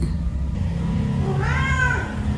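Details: Cat or kitten playing around baskets gives a single brief, harmonic meow, rising slightly then falling, against steady low background rumble.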